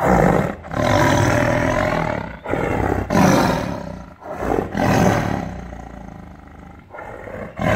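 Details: Angry tiger roaring in captivity inside a cage: a rapid series of harsh, loud roaring bursts, each lasting one to two seconds, separated by brief gaps, the later ones somewhat softer.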